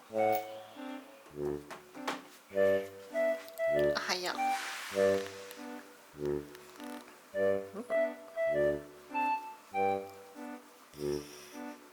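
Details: Gentle organ and piano chords repeat in short pulses, with a brief voice partway through; no animal sound is heard.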